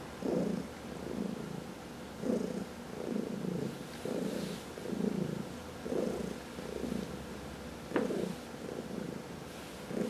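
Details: Purring domestic cat being massaged, one of four pet cats indoors; steady low rhythmic purr pulsing in and out about every second, each breath cycle clearly audible, with a faint click near the end.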